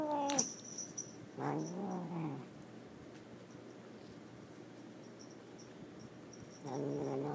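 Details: Angry domestic cat, unhappy at being moved into a bedroom and given catnip in a sock, gives two drawn-out wavering yowls with a short sharp cry at the start, quiet room between, and a person speaking to it briefly.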